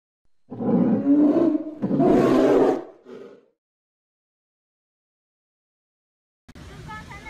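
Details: Polar bear giving two drawn-out, gravelly roars and a brief softer growl, then several seconds of silence before an unrelated sound starts at the end.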